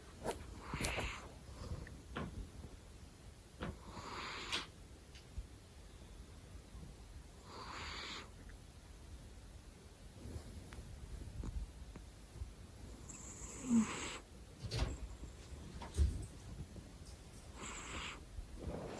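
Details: ['Male domestic cat sleeping indoors, giving hushed, wheezy snores roughly every three to five seconds, with scattered taps and rustling close by.']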